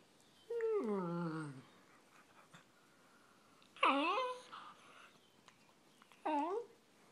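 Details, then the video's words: Pet dog making weird noises to show it loves something, indoors; three drawn-out whining yowls with many harmonics, the first long and falling, the next two shorter with a rising-falling sweep, quiet room between them. "My dog making weird noises"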